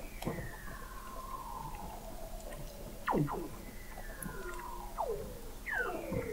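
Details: Recorded in November 2017 at 21 m below sea ice in McMurdo Sound, Antarctica: Weddell seals give long falling whistles, quick downward chirps and overlapping glides, fairly faint against a background hiss.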